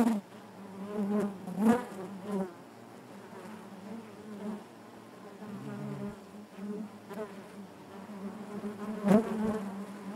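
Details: Inside a honey bee hive, a continuous low hum rises and falls while bees move about, with two louder close passes, one early and one near the end, standing out over the colony's drone.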